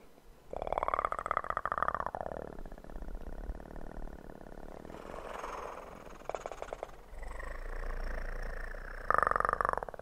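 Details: Kitten purring close up for ASMR: a steady pulsed rumble with a voiced, arching tone near the start and again at the end, and a short stretch of softer rustling in between.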